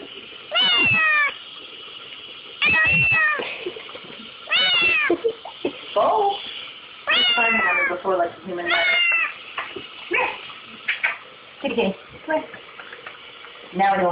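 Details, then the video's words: Kitten crying indoors over a dishwasher, wanting to lick the dishes, on an old, low-quality recording: loud, harmonic, drawn-out meows, some wavering or falling, in bursts every one to two seconds, with people talking and calling the cat nearby. "Kitten Crying Over Dishwasher"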